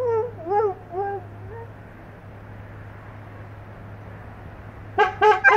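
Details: English Setters howling together: short wavering whine-like howls rising and falling over the first two seconds, then a quiet gap with a steady low hum, ending in three quick sharp yips.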